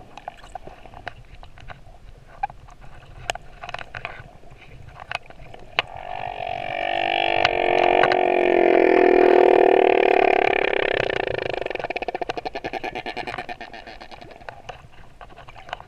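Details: Moorea male humpback whale sings a long swelling moan with wavering tones, rising then fading over about six seconds, with steady underwater clicks throughout.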